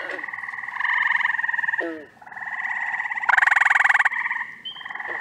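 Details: Mixed frog chorus in upstate New York during the first week of June, when spring and summer callers overlap. Layered buzzy pulsed trills overlap, a loud burst of trilling swells midway, and short falling croaks drop in near the two-second mark.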